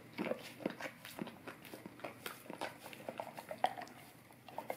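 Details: Indoors, a golden retriever works its tongue over an Orapup tongue-cleaning brush meant to freshen breath, giving soft moist clicks and lapping smacks in a steady uneven patter.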